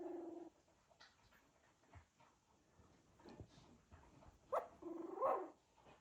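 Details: Cocker Spaniel puppies moving about give soft, wavering whines and squeaks between quiet rustling.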